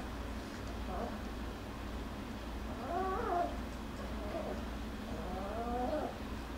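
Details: Young Jackabee puppies from Miss Sansa's litter wrestling and crying; faint, thin wavering whines recur several times, quiet and partly buried under a constant low hum.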